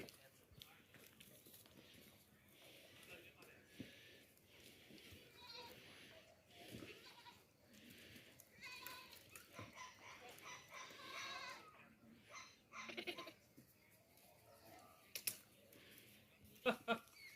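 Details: Young goats playing and dancing together, bleating in several wavering, harmonic calls bunched mid-recording between quieter stretches, with clicks, scuffs and background noise throughout.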